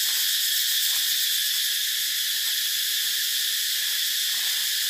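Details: Shrill cicada buzz forming a constant wall of high, hissing sound, with soft pulsing and a few faint clicks beneath the drone.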